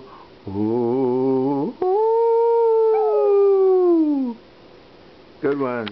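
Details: Sachi, a 12-year-old Maltese terrier living in Melbourne, Australia, howls along to the American national anthem and Danny Boy. A person hums a low wavering note, then the dog holds one clear, steady howl for about two and a half seconds before it slides downward.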